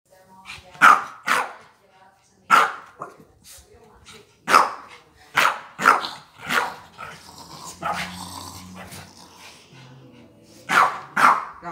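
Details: Female dog provoked by a man holding up a red plush toy, growling, snarling and barking; sharp loud barks come in bursts every second or two, with low growls between and a man's voice near the end.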